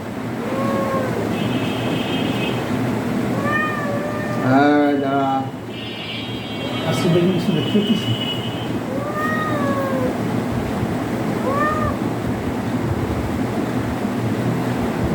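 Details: Domestic cat undergoing an ultrasound examination: several short arching meows, spaced a few seconds apart, over a constant background hum, with music and human speech also audible.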